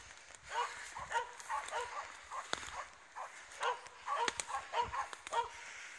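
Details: Finnish Spitz confronting a raccoon dog outdoors, barking in rapid, fairly high-pitched bursts, nearly two per second, with faint background voices and scattered clicks.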